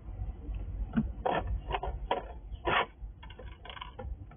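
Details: Wild squirrel visiting a house, feeding on nuts or fruits from a sliding drawer; crunchy, scraping chewing bursts come in short irregular clusters, about eight in a few seconds, over a low background rumble.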